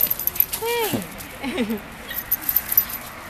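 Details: Pomeranian named Momo dashing at full speed like an F1 racer; a single high, arching whine-like yelp curving up then falling, followed by a few short squeaky chirps, with faint background voices.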